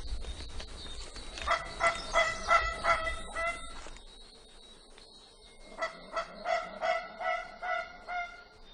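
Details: In dense Madagascar rainforest, an indri opens its red-lined mouth and gives a loud alarm call: a run of harsh, honking blasts repeated several times a second.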